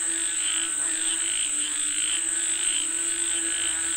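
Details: Frogs, said to be calling for rain, give bright, throbbing pulses about every half second over a lower steady hum, with a constant shrill insect whine ringing above.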